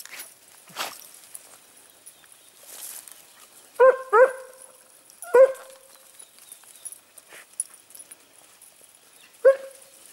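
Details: Segugio Italiano hounds, smooth- and rough-coated, hunting hare near Sofiko, Evros, Greece, on 18 October 2015: loud, rich bays close by, two together, then single ones spaced seconds apart, over quiet rural background.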